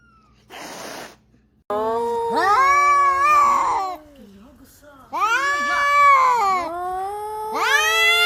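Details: Domestic cat from a funny cats compilation giving drawn-out caterwauling meows, long wavering harmonic wails in two main bursts with a rising onset, preceded by a short noisy rustle and a brief gap.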